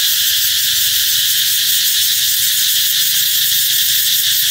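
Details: Cicada song announcing that summer is coming, a dense continuous shrill buzz at steady volume, with faint scattered low background noises.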